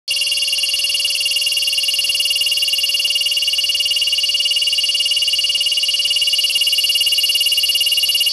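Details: A field cicada sings a continuous, high, shimmering buzz that holds steady without a break.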